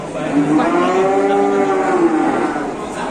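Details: Massive Indonesian cow giving a single long moo that rises, holds and slowly falls over about two and a half seconds, with full, resonant overtones and little else heard.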